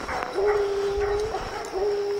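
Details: Young dog Lillie, out hunting on an evening with Dynomite and 14-year-old Sadie, bawls after treeing. Two sustained, even-pitched howling notes follow each other quickly, with a short break between them.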